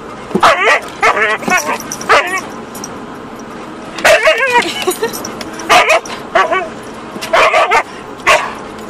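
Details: Husky inside a car attacking the back window wiper, giving clusters of excited high yips and whining barks in quick bursts, with short pauses between groups.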